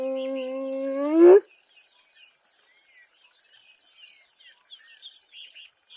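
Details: Female spotted hyena in Kruger National Park giving one rising whoop, a harmonic-rich tone climbing in pitch and swelling over about 1.3 seconds before stopping abruptly, followed by scattered soft bird chirps.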